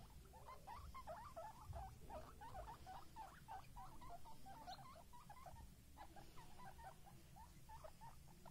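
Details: Baby guinea pigs squeaking: a busy stream of short, chattering squeaks, several per second, continuing almost without pause, with a soft low rumble underneath.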